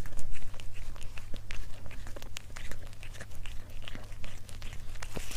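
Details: Cat eating indoors for a close-up mukbang ASMR recording: dense, rapid crunching and crackling bites in an uneven patter across the clip, with a steady low hum underneath in a small room.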